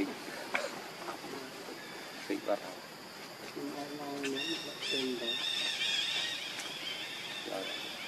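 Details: Hungry baby monkey named Leo cries, begging its mother for milk: short wavering harmonic wails around four and five seconds, then thin high wavering squeals drawn out over the last seconds, over steady background hiss.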